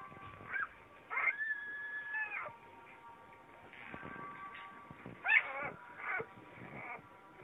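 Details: Vizsla puppies giving high, wavering whines that rise and fall, several overlapping in short bursts, with a faint steady background hum.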